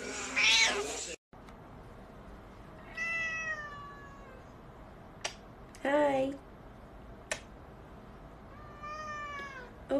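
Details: Domestic cat meowing four times at intervals of two to three seconds, mostly drawn-out, gently falling cries, with clicks and handling noise between them in a quiet room.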